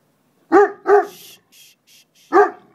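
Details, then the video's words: Playing puppies, one of two, giving two quick sharp yaps, a pause with faint rustling, then a third bark. "Noisy puppy play!"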